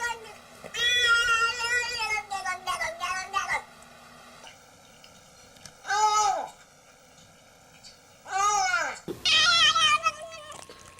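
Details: Cat vocalising in a compilation of unusual cat sounds, with strange, varied meows: stretched wavering cries early on, then two short rising-and-falling calls and a final drawn-out wail, over faint background noise.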